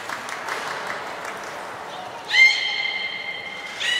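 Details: Beluga named Nana during a training session at Port of Nagoya Public Aquarium, 13 April 2019: a steady, harmonic, nasal tone lasting about a second and a half over a murmuring crowd, with a brief second note at the end.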